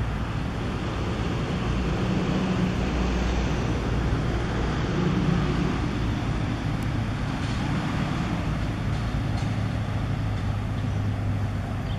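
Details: Steady low engine rumble of passing traffic with broadband road noise throughout, and no animal calls.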